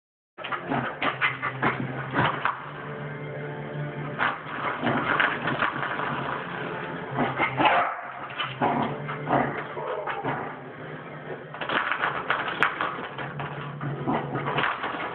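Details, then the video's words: Dog barking at a door, recorded on an Android phone indoors; repeated sharp, harsh barks in irregular bursts, some whimpering between them, over a steady low hum that runs through the recording. "Dog barking at door"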